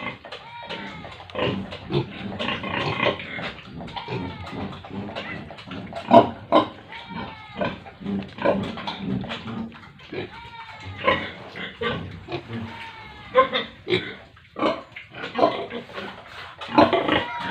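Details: Pigs and piglets at a village pig farm in India, a dense chorus of overlapping grunts and squeals, some rising whistled squeals, continuous throughout with bursts of louder calls.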